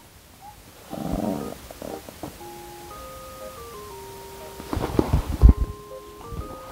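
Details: Light mallet-percussion music plays stepwise melodic notes, joined by a few low thumps and rustles midway.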